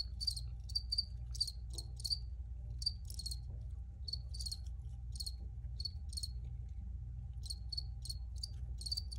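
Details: Crickets recorded for relaxation: short, bright chirps near 4–5k repeated irregularly, often in quick doubles or triples, over a steady low hum in the background.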